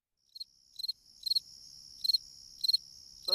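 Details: Classic fall cricket singing in autumn, an insect thought lucky to have in the house and heard as cheerful: short, high, bright chirps, each of two or three quick pulses, about six in under four seconds, ending with a low sound.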